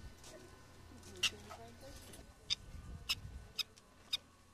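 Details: Prairie dogs, social animals living in a colony, give short sharp high chirps spaced about half a second apart over a low background hum.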